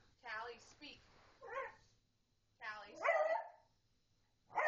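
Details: Jasmine, a household beagle, cuts in with a single loud, ringing bark as people keep telling the pug Callie to speak; human speech is heard before and after the bark.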